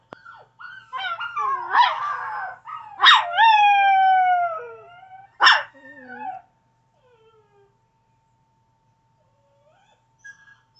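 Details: Pet Chihuahua named Chevy howling: a series of wavering, falling howls with sharp yipping onsets, three loud bursts spaced a couple of seconds apart, trailing into quiet whimpers and near silence.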